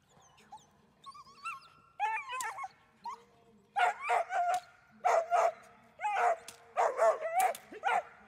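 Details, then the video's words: German Shepherd named Dornan during protection training: high whining yelps sliding up and down, then a run of loud, sharp barks in quick bursts. "Protection training - Dornan - German Shepherd"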